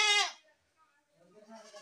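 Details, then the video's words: Goat giving a single short, loud bleat, bright and rich in harmonics, lasting about a quarter second, followed by near silence with faint low murmuring sounds toward the end. "best goat sound in the world | goat sound"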